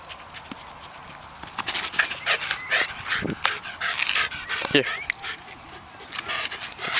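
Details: Dog at Te Puru, with bursts of harsh, breathy panting in two runs of about a second each. Human voices talk over it, and faint bird chirps sound in the background.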